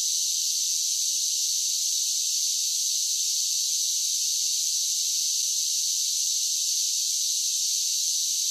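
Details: Cicadas singing in summer: a steady, dense, hissing buzz held high in pitch, unbroken and even in loudness across the whole stretch, with no low sounds beneath it.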